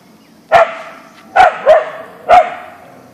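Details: Siberian Husky Boeing, an Ausky, barking toward a deer in the backyard; four punchy barks, the middle two close together, about one per second.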